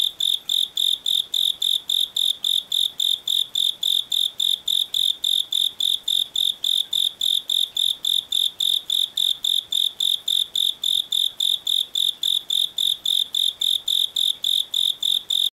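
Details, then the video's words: Japanese burrowing cricket (Velarifictorus micado) calling at a higher temperature, a steady series of bright, high chirps, about three to four per second, evenly spaced and unchanging throughout, with no other sounds. "Call of Japanese Burrowing Cricket (Velarifictorus micado) at higher temperature"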